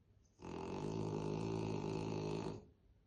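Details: French Bulldog named Krosh snoring heavily while asleep on a staircase: one long, rough, buzzing snore of about two seconds, low and pulsing rapidly throughout with a layered harmonic tone, then quiet.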